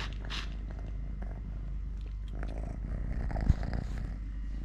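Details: Continuous low purr from a three-legged pet cat named Totoshka, recorded as he eats, plays and wrestles with a hand; a steady vibrating rumble with a short thump near the end.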